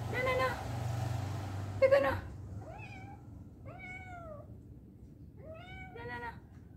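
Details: A cat, apparently afraid to climb back down after going up, gives three arched, drawn-out meows around the middle of the recording, after a burst of speech-like noise and a click near the start, indoors.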